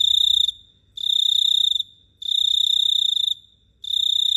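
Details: Cricket chirping at night in Phteah Prey: high, even buzzing trills lasting about half a second to a second and a half, separated by short silent gaps, four bursts in just over four seconds, with a faint low rumble beneath.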